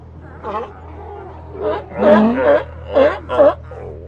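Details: Colony of sea lions: a few loud, short, rasping barks and a low groaning call, spaced unevenly over about four seconds, over a steady low hum.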